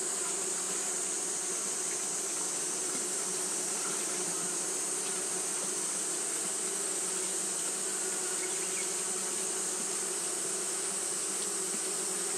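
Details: Japanese honey bees fanning nonstop on a hot day make a steady low droning hum. A constant, bright high-pitched hiss runs above it throughout with no break.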